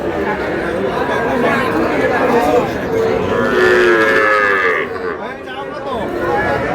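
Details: Sahiwal bull calf at a livestock market, bought by a farmer from Brahmanbaria, Bangladesh, on 20 May. One drawn-out, wavering moo about two seconds long rises and then falls midway through, over steady crowd chatter and voices.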